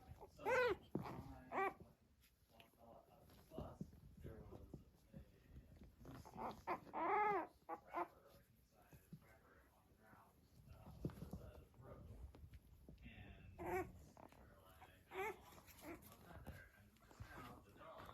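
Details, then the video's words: Five almost 4-week-old Blenheim Cavalier King Charles Spaniel puppies, exploring and playing together, give short, high yips and squeaky barks in scattered bursts. "Cavalier Puppies Purr, Bark, and Play"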